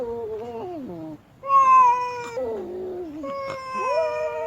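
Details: Displeased female cat letting out a run of wailing yowls, pitch wobbling and sliding downward in the first, then a loud sustained cry after a brief pause, followed by further quavering wails.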